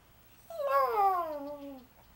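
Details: Pet Yorkshire Terrier howling for its owner inside a room: one drawn-out tonal howl of over a second, rising slightly then gliding smoothly down in pitch, strong harmonics, ending in a soft fade.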